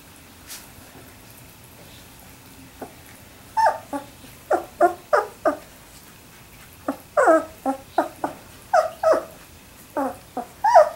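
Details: Three-week-old Labrador Retriever puppies, with short high whimpers and squeaks in scattered bursts, several close together, over a quiet indoor background.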